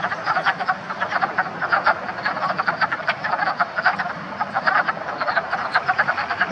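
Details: Wood frogs (Lithobates sylvaticus) in a spring breeding chorus in a Pennsylvania vernal pool, swimming, crawling and mating. Short, hoarse, duck-like clucks overlap in a steady rattling stream.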